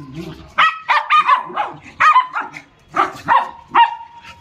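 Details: Small dog barking during play, sharp yappy barks in pairs and triplets with a ringing whine tail, a few faint voices underneath.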